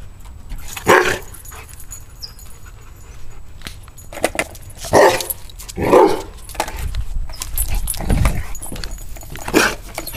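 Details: Pet dog barking at skateboards, which it hates: about six loud barks spaced irregularly across the stretch, with outdoor rumble and scraping noise in the background.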